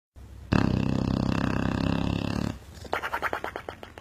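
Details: Sleeping dog snoring like a motorcycle: a loud, harsh, rattling buzz held for about two seconds, then a run of quicker, shorter snorting pulses.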